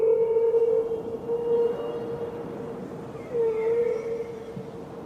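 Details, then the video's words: Killer whale calls: a steady tonal line near the middle register with sliding whistle-like overtones, swelling and fading in several long phrases over a continuous background hiss. "Sound killer whale"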